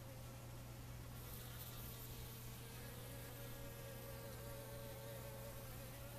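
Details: Western honey bees foraging for water at a dirty water source give a steady, low droning buzz whose wavering overtones rise and fall as they move.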